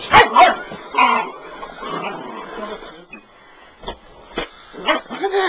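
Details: Bull Terrier puppy indoors barking at a sweeper, a few sharp barks at the start and near the end amid a man's talking and household noise.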